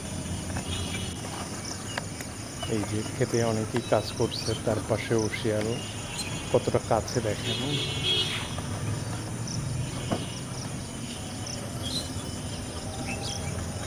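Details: Fox calling at night: a run of short, harmonic, rising-and-falling yelping cries, clustered between the third and seventh seconds, over a steady high insect trill and low background hum.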